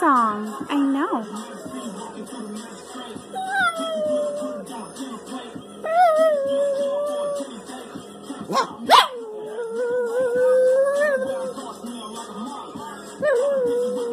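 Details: A female Chihuahua–Jack Russell Terrier mix howls along to "Turn Down For What", her favourite song, in drawn-out, wavering, rising and falling notes while a woman talks.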